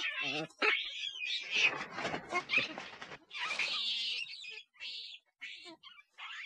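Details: Loud, shrill monkey screeching, dense and continuous at first, with a short buzzy rattle near the start, then breaking into separate short squeals with gaps.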